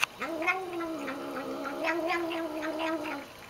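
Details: While drinking water, a she-cat gives a long, level, droning moan lasting about three seconds. Soft rhythmic ticking runs through it, like lapping.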